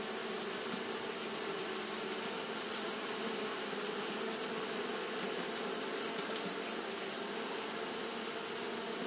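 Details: Japanese honey bees fanning continuously on a hot day, a steady layered wing hum with banded low tones, unbroken for the whole stretch, under a bright constant high-pitched hiss.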